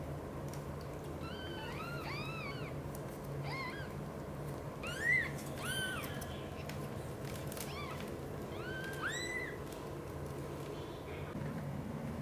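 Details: British Shorthair household where mother cat Xaxa gently tends three kittens, including adopted Miracle and Cream: a run of high, arched mews, several in quick clusters, scattered across twelve seconds above a constant low hum and faint clicks.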